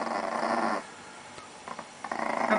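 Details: Pancake-guarding Chihuahua, described as very angry, growls in a gritty rumbling burst, pauses through a quiet stretch with faint clicks, then starts growling again more sharply.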